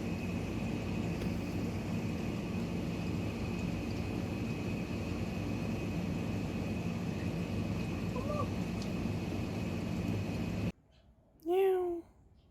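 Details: Feral neighbourhood cat, filmed 2019 on a Samsung Galaxy S9+: a long stretch of engine drone with one faint short meow midway, then a single loud, harmonic meow after the noise suddenly cuts out.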